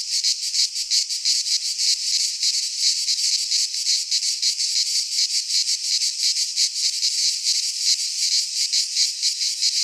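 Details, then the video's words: Midsummer cicada chorus from Greek fauna in a pine forest: an unbroken high-pitched rasping hum with loosely rhythmic pulsing and no other voices. "Cicadas singing in midsummer - Nature sounds from the Greek fauna - Sounds of cicadas"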